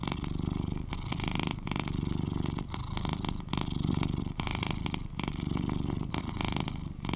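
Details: An 11-year-old male British Shorthair cat, the loudest and most cuddly purrer of his household, purrs steadily, a low rumbling hum that swells and dips with each breath.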